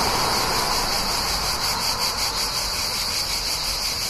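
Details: Cicadas near a town in summer, a continuous shrill buzzing with a slight pulsing throb, layered over a constant wash of traffic noise.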